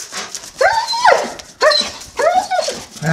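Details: German Shepherd in Holland, about to go for a walk, 'speaking' with three drawn-out, arching whine-like yowls that rise then fall, each under a second, separated by short pauses; a Dutch-speaking voice follows.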